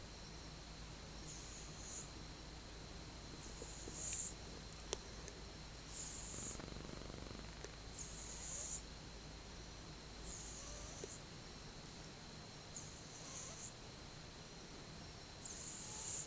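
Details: Sleeping cat, twelve months old, recorded on 8 October 2015, snoring softly: hissy, airy breaths repeat about every two and a half seconds over a quiet room hum, with a brief low rumble near the middle.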